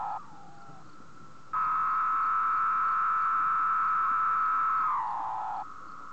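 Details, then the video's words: Male cicadas calling at night on a moth sheet around 3 am, sound made with tymbals; a sustained electric-sounding whine that jumps sharply louder after one and a half seconds, holds steady, then slides lower and softens near the end. "M Cicada SING on sheet"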